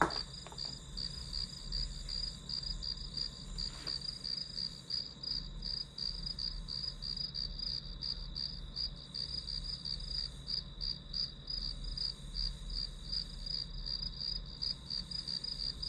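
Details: Grass insects trilling for a quiet study session: a brief knock at the start, then a dense run of shrill pulsed chirps near three per second, continuing steadily over faint background hum.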